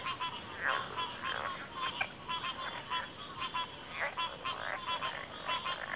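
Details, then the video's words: Backwater frog chorus of many callers: rapid pulsed croaks stacked in bursts, roughly every half second, over a constant high-pitched insect hum. "FROGS - Pig Frogs, Water Frogs, Backwater Chorus, & Frog Chorus"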